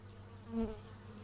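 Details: A single bee zips past an x/y stereo microphone outdoors, a short swelling and fading buzz lasting about half a second, with a low background hum beneath.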